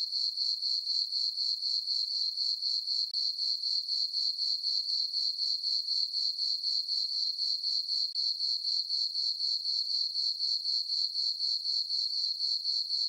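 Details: On a farm meadow under a full moon and dark skies, crickets give an unbroken shrill ringing trill, evenly pulsed around four times each second, with nothing else audible.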